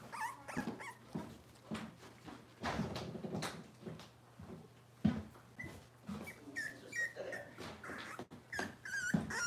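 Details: Robin's Cavalier King Charles Spaniel puppies indoors on a livestream: repeated high squeaky whimpers and whines over shuffling, thumps and a low steady hum.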